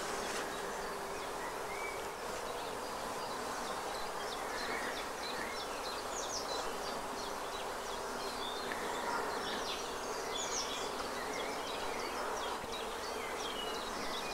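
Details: Asian hornet (Vespa velutina) wing buzz: a steady, low droning hum in flight, with small birds chirping behind, recorded in spring on 17 April 2023 in a natural area by the sea in Vannes, Brittany.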